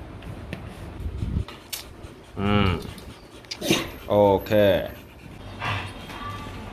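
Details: Rottweiler puppies at a breeding kennel in Hanoi, Vietnam, giving a few short, whiny whimpers in quick bursts, with people talking close by indoors.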